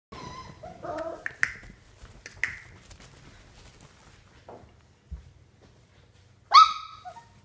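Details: Puppies at 32 days old playing: a scatter of squeaky whines, then two short sharp yips about a second apart. After a quiet stretch comes a louder, high yelp, with soft thumps and handling noise between.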